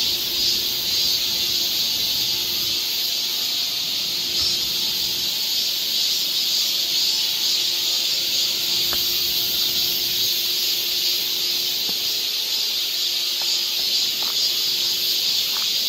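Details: Cicadas in a summer forest along a trail in Seoul, Korea: an unbroken, dense, shrill buzzing chorus holding steady high in pitch throughout, with faint thin tones beneath.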